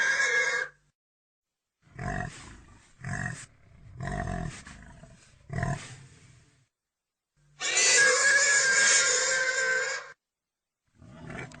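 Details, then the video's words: Pig squeal opens, followed by a row of five throaty grunts roughly one second apart, then a long, piercing squeal of about two and a half seconds and a final grunt. "real pigy sound effect"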